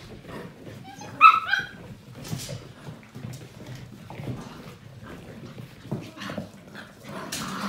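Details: Seven-week-old Portuguese Water Dog puppies from one litter at play; a single high, squeaky yip rings out early, followed by soft scuffling, thuds and low rustling as the pups tumble about.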